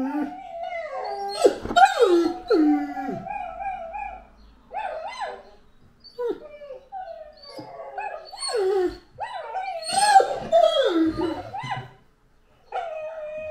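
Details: Anúbis, a Great Dane, vocalizes in wavering, harmonic howl-like bursts broken by short gaps, some sliding downward, with background sounds in between.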